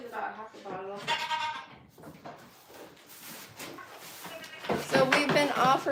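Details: Farm goats at The Willful Goat Farm & Home give short quavering bleats at the start, then a quieter noisy gap, before a louder burst of overlapping, tremulous bleating near the end.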